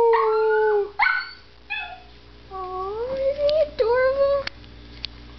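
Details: Papillon dog at home howling at passing ambulance sirens, short wavering howls that rise and fall, some brief yips between them, with its owner speaking affectionately in the background.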